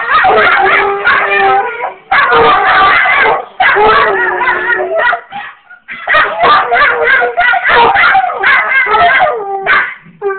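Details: Basset hound and Jack Russell terrier puppy Sophie and Fenway answer their own recorded howling: drawn-out, quavering howls mixed with choppy yips and barks, a short gap near the middle before the chorus resumes.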